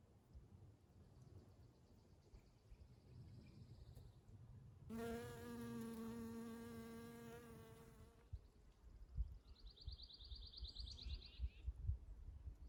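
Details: Spring honey bee near flowering Eastern Redbuds, its low, rich droning hum rising close for about three seconds, then drifting off. High, rapid bird trills sound before and after, over a steady outdoor rumble.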